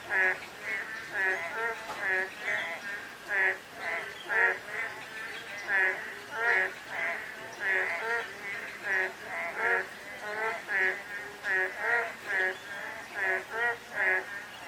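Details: On a drizzly day, a dense mass of frogs keeps up grating, pulsed croaks, bursts overlapping irregularly so the chorus rises and dips continuously throughout.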